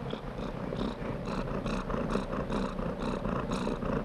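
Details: Cat purring steadily, with soft rhythmic pulses about twice a second as it breathes in and out; a continuous low rumble underneath and no other sounds.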